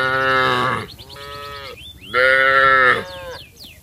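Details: Village cattle going down to the rice fields and calling to each other: two strong, harmonic moos with a softer lowing call between them and brief bird chirps.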